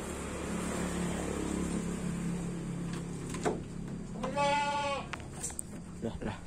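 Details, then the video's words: Baby goat on a goat farm giving a single wavering, quavering bleat for under a second near the end. A steady low hum runs throughout, with a few sharp knocks and some background voices. "Goat sound, goat farming, baby cute goat"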